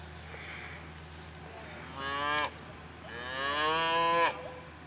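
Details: White Galloway cattle at Fageralm, Elsbethen, Salzburg, 14 May 2013: two drawn-out, harmonic-rich moos, the second longer and rising slightly before cutting off, with a few thin bird whistles at the start.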